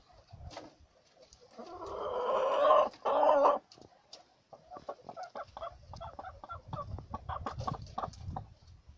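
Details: Domestic guinea pigs kept at home: a loud, drawn-out harmonic squeal in two close bursts near the start, followed by softer chattering squeaks and rustling.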